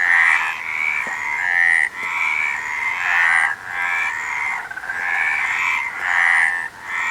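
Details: Chorus of frogs giving rasping, nasal croaks in repeated pulsing bursts roughly every second, many voices overlapping so the sound swells and briefly fades before the next wave.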